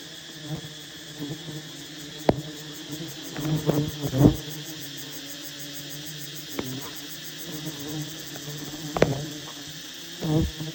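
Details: Bees at a massive wild honey bee nest being harvested by honey hunters give a steady low droning hum with layered overtones, broken by sharp clicks and knocks of handling.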